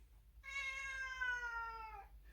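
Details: Domestic cat crying loudly indoors, scared at the sight of the carrier before a trip to the vet for its annual vaccination: one long, rich harmonic wail held about a second and a half, slowly falling in pitch.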